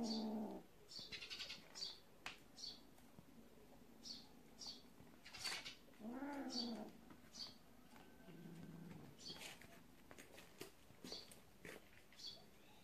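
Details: Kitten from a family of cats living in a warehouse, playing with a mole; a few drawn-out meows, one arching up and down in pitch, set against a steady run of short, high chirping squeaks and faint rustling.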